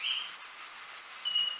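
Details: Bat ultrasonic echolocation recorded inside a wind turbine tower, slowed 16 times: two short, high whistled pulses separated by a hiss-filled pause, emitted while the bat pursues prey.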